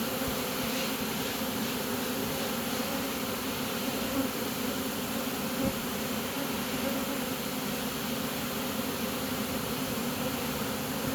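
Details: Honey bee swarm marching into a new home after being caught: a steady, dense droning hum with strong low bands, unbroken throughout, plus a couple of faint clicks.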